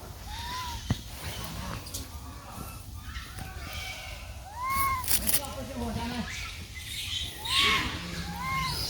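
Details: Baby monkey crying loudly beside its brother while searching for its lost mother: short arched tonal cries, rising then falling, heard about four times over several seconds, with human voices and background noise.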